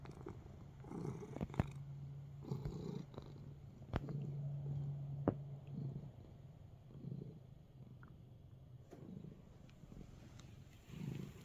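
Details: Relaxed indoor cat kneading; soft, intermittent purring comes in short low bursts over a steady faint hum, with occasional sharp clicks and rustles from movement.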